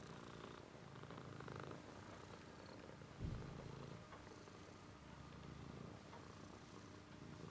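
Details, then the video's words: Soft, low purring from a cat, a rumbling hum in slow breath-paced waves, broken once by a short thump near the middle. "Cat is purring"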